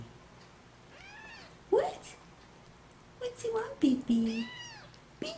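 A kitten gives a string of thin, rising-and-falling meows while a woman coos to it.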